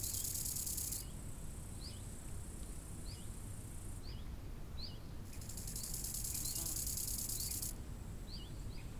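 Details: Crickets chirping by a lake in summer: a steady high shrill hum that swells loudly in two long stretches, with short repeated bird chirps and a heavy low rush of wind over the water.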